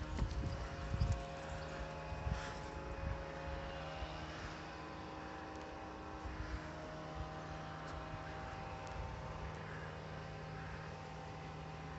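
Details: Outdoors, a steady mechanical drone like a distant aircraft or engine, with a few thumps and rustles in the first seconds; no animal calls.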